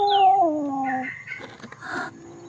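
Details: Rescued kitten that became a temple cat at Wat Pong Chai, Chae Hom, Lampang, Thailand: a thin, descending mew about a second long, followed by shorter higher tones and soft rustling noise.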